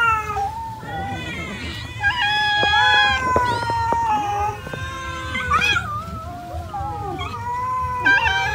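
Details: Cats eating rice produce a dense run of overlapping meows, short rising and falling cries crowding one another, with brief clicks and bumps between them and a low background hum.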